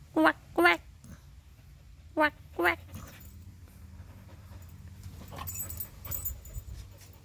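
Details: Pet Husky Whiskey, playing with a bird, makes two pairs of short wavering tonal yelps early on, followed by quiet rustling and faint background noise.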